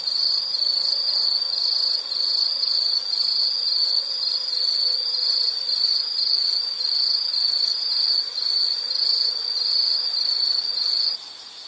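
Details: Insect calling in a nature recording: a steady, high, shrill trill pulsing in quick beats, with faint buzzy overtones above. It cuts off and quiets just before the end.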